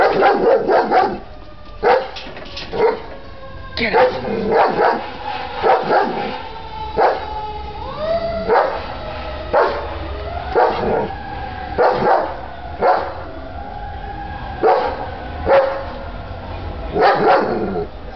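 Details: A German Shepherd gives loud, deep barks in quick bursts while a person urges it on ("get him") and talks in between.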